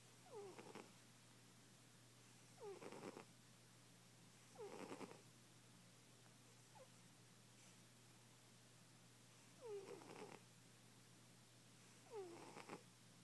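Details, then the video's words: A fat domestic cat asleep, snoring loudly: breathy noisy bursts roughly every two and a half seconds, each carrying a short falling whistled squeak, with quiet indoor hum between breaths. "Loud ass snoring kitty"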